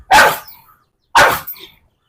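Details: A pet dog named Taisa, being called over by its owner indoors, gives two sharp, loud barks about a second apart, each clipped short with quiet gaps between.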